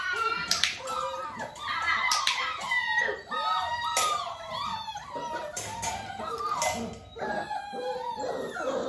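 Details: A litter of Dalmatian puppies, almost six weeks old, clicker-trained in a small room near their mother Arya; a dense chorus of thin, wavering whines and squeaky yelps from several pups, nearly continuous, with a few sharp clicks.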